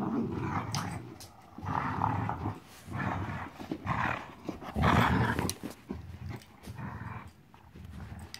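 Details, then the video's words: Playful growling from 14-week-old puppy Marvel: loud, rough, rumbling growls repeated in bursts about every second, some rising into harsher snarls, over scuffling sounds of play. "14 week old Marvel playing"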